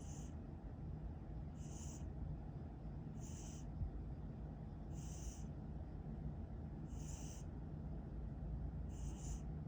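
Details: Pet cat snoring while asleep: soft wheezy breaths repeat about every 1.7 seconds, each a brief hissing puff, over a steady low rumbling background.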